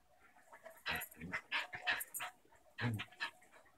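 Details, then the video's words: Indoor play between a young German shepherd puppy and her six-year-old Basenji pit mix sister; a string of short grunting and whining bursts about every half second, with one deeper growly sound near the end. "German shepherd puppy and adult Basenji Pit play"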